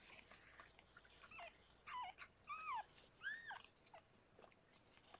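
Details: Rescued pregnant cat Harlequin in foster care while giving birth to six kittens; a few soft, thin, arching mews, each under half a second, over quiet room hiss.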